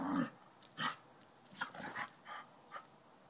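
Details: Dog named Tippy taunting a cat named Tortoise, trying to get it to play; short bursts of growly, huffing vocalizations come in separate bouts, some rough and noisy, scattered over a few seconds indoors.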